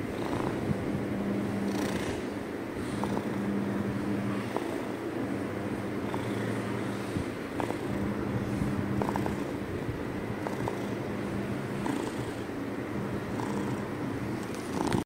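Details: Cat's loud purr, a deep vibrating drone pulsing in regular in-and-out waves about every one to two seconds, with soft clicks and rustles over it.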